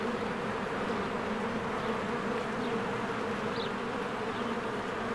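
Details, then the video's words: Honeybees busy around their hive in spring among blooming flowers. A steady, thick buzzing drone runs throughout, and a single short high bird chirp cuts through near the end. "1 Hour of a Beehive ASMR"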